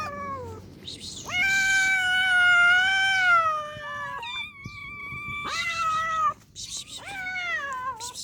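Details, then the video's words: A sad, hungry cat meowing insistently: a long sustained wail of about three seconds, then shorter rising-and-falling meows in quick succession, with faint low rumble underneath. "sad and hungry cat"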